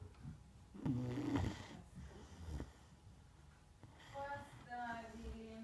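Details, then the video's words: Neapolitan Mastiff named Margo sleeping indoors, snoring in rough, low rasping breaths, with a loud snort-like snore near the start, quieter breathing after, and a voice speaking toward the end. "Неаполитанский мастиф . Марго спит . Храпит ."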